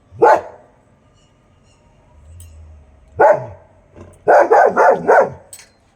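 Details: Dog in India keeping guard early in the morning, calling out to absent dog friends: two spaced single barks followed by a quick run of four barks, with an owner's voice nearby.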